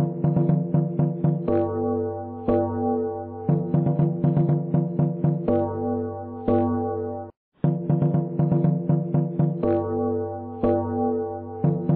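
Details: Gentle synthesizer and piano music plays in a steady repeating pattern with a brief pause, with no animal voice heard.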